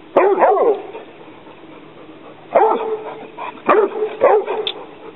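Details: A young Rhodesian Ridgeback named Barney squares off with an alligator snapping turtle. He lets out an opening double bark, then three more loud yelping barks in quick succession over a low background hiss.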